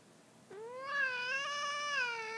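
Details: Drawn-out, low, moaning yowl from an adult house cat indoors, territorial and hostile to a newly arrived kitten. One sustained, slightly wavering howl lasts about two seconds after a soft onset in a quiet room.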